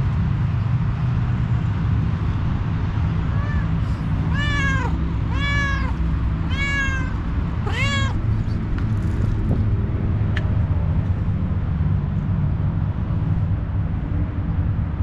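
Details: Four plaintive kitten meows come in quick succession, roughly one per second, each arching up then down. A low continuous hum runs underneath, followed by several seconds without calls.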